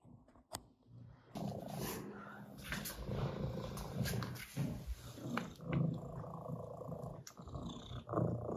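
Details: Domestic cats, a Russian blue and an orange tabby, sniffing each other in peaceful greeting; low rumbling purr runs steadily throughout, broken by soft rustling and brief clicks.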